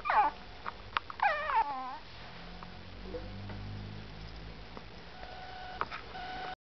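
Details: Zara, a pet Yorkshire Terrier, gives short high wavering whines and yelps near the start, then quieter faint calls over a low background hum.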